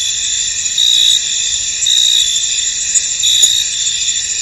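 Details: Cricket chirping in a misty field: steady high, thin trilling throughout, with a few brighter chirp bursts spaced about a second apart and one faint brief click.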